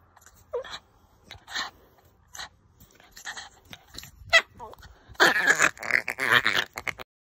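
A Boston Terrier gives short snorts and a thin whine, then a rapid burst of throaty grumbling yowls.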